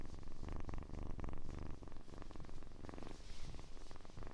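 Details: Kitten purring close to the microphone in an ASMR recording, a loud low rumble of fast pulses in breathing cycles roughly every half second, steady and continuous throughout.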